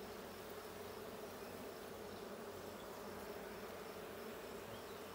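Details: Honey bees in a blue hive during a hive check on 20 June 2022: a steady, dense buzzing hum with a strong low band, continuous and even in loudness throughout.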